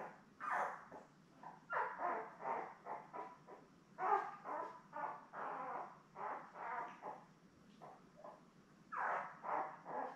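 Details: Newborn Labrador Retriever puppies, a litter of seven born May 24, 2021, with mother Belle, filmed on a live puppy cam: a busy run of small squeaks, grunting whimpers and nasal cries overlapping continuously, moderately soft and close.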